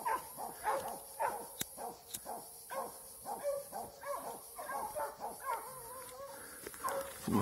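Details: Plott hound, eight months old, barking during a standoff, release and fight. Busy overlapping barks and yelps run in uneven bursts, partly masked by rustling, clicks and broadband noise.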